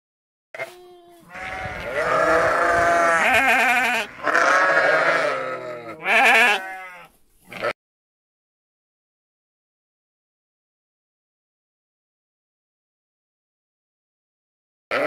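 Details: Sheep bleating in a short burst of harmonic, wavering calls over about seven seconds, three loud bleats run close together with a brief shaky tail, then silence until a sudden sound at the very end.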